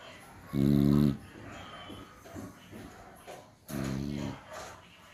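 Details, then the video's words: Beagle dog asleep, snoring: two loud, deep, buzzy snores about three seconds apart, each lasting around half a second, with softer breathing sounds in between in a quiet indoor setting. "Beagle Dog snoring"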